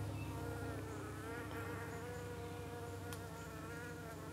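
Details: Honey bees at a UK hive, evening, as six or seven flies at once attack them and the bees defend themselves; a loud, constant multi-toned buzz of many wings, pitches gently wavering, over a low steady hum.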